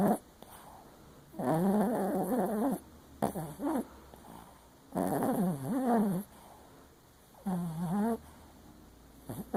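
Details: Papillon Chihuahua asleep and dreaming, one eye open, letting out four separate bursts of warbling, undulating whines and moans, each lasting one to one and a half seconds, separated by quiet pauses, indoors.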